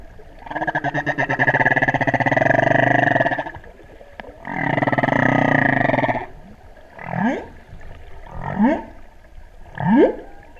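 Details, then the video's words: Humpback whales singing off the Big Island, Hawaii, heard while freediving during the 2015 spring equinox solar eclipse: two long buzzy, pulsed groans followed by three short rising whoops. "Spring Equinox Whale Song 2015"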